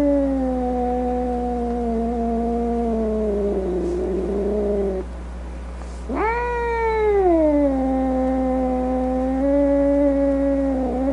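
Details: Grumpy domestic cat letting out a long, steady low yowl that breaks into a rough growl, then after a short silence a sharp rising wail that settles into a sustained, wavering moan.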